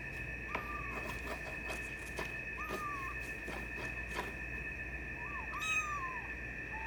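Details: Twenty-four-day-old silver tabby and white male Maine Coon kitten mewing: a few short, flat-topped, slightly falling cries spaced over several seconds, over a constant tonal hum and light tapping noises.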